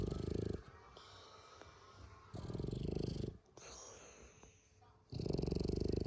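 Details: French Bulldog snoring loudly: deep, rattling, low-pitched rasping breaths in long bouts of about two seconds, separated by quieter pauses.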